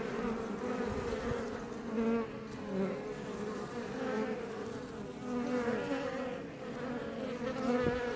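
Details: Close-up of honey bees (Apis mellifera iberiensis) outside a Langstroth hive in south Tarragona, Catalonia, near Els Ports National Park; continuous low humming buzz that swells and fades as individual bees fly near.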